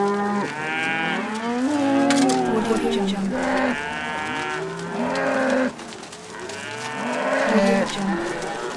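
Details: Overlapping cow calls: drawn-out lows mixed with brief, higher, strained moos, the chorus thinning for a moment near the middle before building again.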